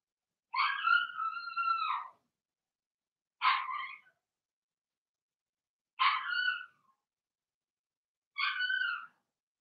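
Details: Cavalier King Charles Spaniel puppy, Blenheim, one of Remy's litter of six, kept indoors in a pen while potty training; four loud, drawn-out harmonic cries, the first long and the rest shorter, come about every two and a half seconds.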